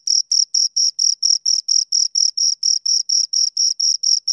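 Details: Single-toned high cricket chirps pulse in a fast, regular train, around seventeen bursts within four seconds, clean and close with a faint overtone and nothing else audible.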